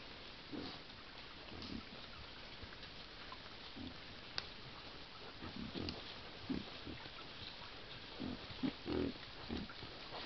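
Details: A sounder of wild boar in a forest by a stream grunts in low, short bursts, scattered irregularly over a steady background hiss.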